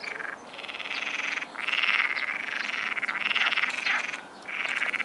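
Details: A chorus of frogs croaks at dusk at the Martorell wildlife observatory, in rapid, rattling pulses that swell and fade in overlapping bursts.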